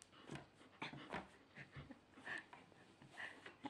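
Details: Golden Retriever, filmed 31 March 2013 indoors, overjoyed with a new teddy-bear toy while given sit and paw commands; soft snuffling breaths and two short, high whining squeaks near the end, with a person's voice giving commands.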